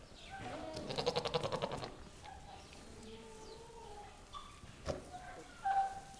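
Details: Registered Nigerian Dwarf bucks in a barn, excited by females in heat; a rapid stuttering burst of pulsed bleats, then softer drawn-out tonal calls and a short high cry near the end.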